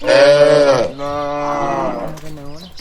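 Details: Evening on a village road as dozens of healthy cattle walk back to their shed. One strong, bright moo is followed by a longer, softer, lower call that fades out.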